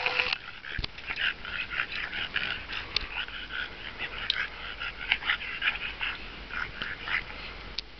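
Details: English Bulldog Mack at play with Sheba, trying to bite her tongue; a steady stream of raspy snorts, wheezy grunts and short nasal snuffles, irregular and breathy, with a few sharp clicks.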